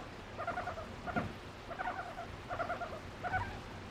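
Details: A female guinea pig kept as a pet, being sweet toward her owner. Soft, low pulsed bursts come in an uneven rhythm, about five over four seconds, with a light thump among them.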